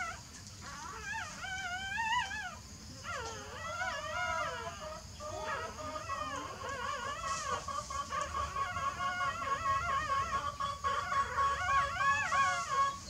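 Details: Sleeping newborn puppies make wavering, whining squeals in bursts, then a long, thin, steady whine toward the end, over faint room noise.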